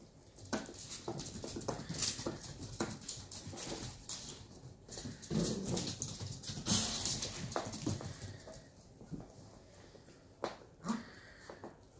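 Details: Two 11-week-old Shetland Sheepdog puppies in rough play: short throaty growls and brief yelping whines break through constant scuffling and clattering, with a louder burst of growling near the middle and sharp clicks of paws and bumps.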